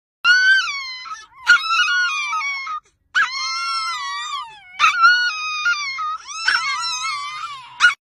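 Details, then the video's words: Chihuahua puppies inside a car, screaming in long, high, wavering wails with rich harmonics, several overlapping bursts of one to two seconds each separated by brief gaps, sharp yelps at the onsets; no other clear sounds. "Cute Chihuahua puppies😂 screaming inside the car"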